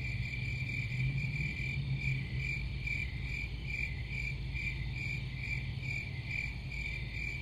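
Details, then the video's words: Crickets chirping in a steady, high-pitched pulsing chorus, short trilled chirps repeating a little over twice per second, with a constant low rumble underneath. "Crickets Sound"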